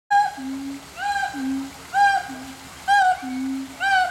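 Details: A zoo monkey at Riverbanks Zoo in June 2013 gives clear, tonal calls, alternating a low steady hoot with higher rising-falling whoops.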